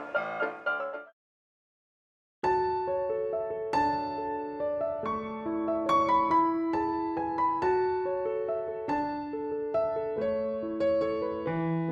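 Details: Piano music, a brief chord passage, a short silence, then a steady melody of electric-piano notes.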